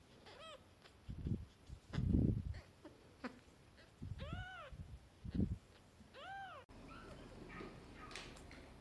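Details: Newborn kittens on their first day indoors, rescued strays, meowing for their mother and for food: high thin arched mews around 0.5, 4.5 and 6.5 seconds, each rising then falling, with low handling thumps and rustling between calls.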